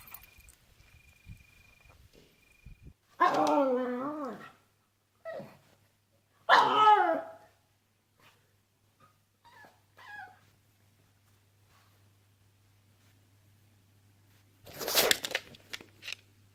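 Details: A pet pug named Derp, having a hard time indoors, gives two loud, wavering whining yelps a few seconds apart, then short softer grunts and one final harsh noisy burst near the end.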